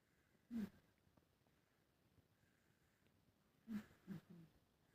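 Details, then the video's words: Sleeping Siamese cat snoring indoors: soft, breathy snorts with a low throaty rasp. One comes early, then a pair follows about three seconds later, with quiet room tone in between. "cute Snoring"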